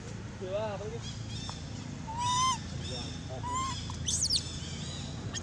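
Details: Abandoned monkey crying very loud: clear tonal cries, one wavering, others rising in pitch and held briefly, spaced about a second apart, with faint high bird chirps near the end and a low background rumble.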